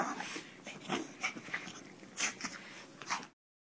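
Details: Chihuahuas, including Tito, greeting Adam Berry as he arrives home after a run of cases; faint, irregular whimpers and soft yips about once a second amid room noise, ending abruptly.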